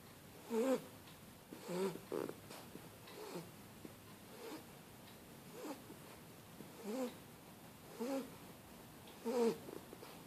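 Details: Shar Pei puppy asleep on a blanket, snoring softly; quiet rhythmic snorting breaths roughly every one to one and a half seconds, with low steady background hiss indoors.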